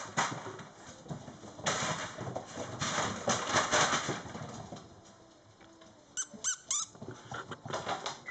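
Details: Mastiff puppies, four and a half weeks old, indoors: a few brief, high, squeaky squeals burst out late on, each one short and sliding, over steady scuffling and shuffling noise with a constant electrical hum.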